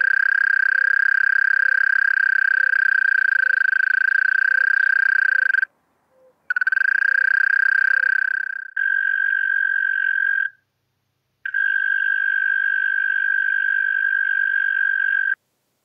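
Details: European mole cricket from Pabing, Austria, recorded 31 May 2021, giving a sustained purring trill with faint low regular ticks beneath, a short gap, then two cleaner, thinner bouts of the same churr separated by a one-second silence.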